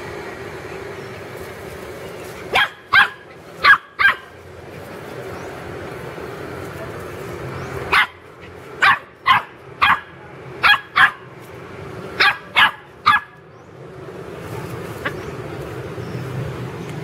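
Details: Pet puppies playing in a garden yip in short clusters of two to four high barks separated by quiet gaps, with a person scolding them between bursts.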